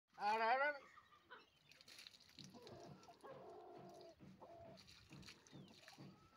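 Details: Male goat being bathed in a village during the school holidays lets out a single loud, wavering bleat about half a second long, then people talk nearby.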